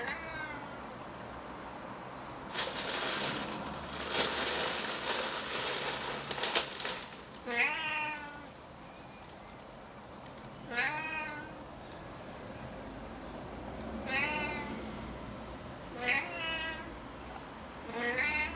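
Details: Friendly, chatty male Siamese cat talking with a person: after several seconds of broadband rustling noise, a series of short, falling meows repeated every two to three seconds, some fainter, over a quiet indoor background.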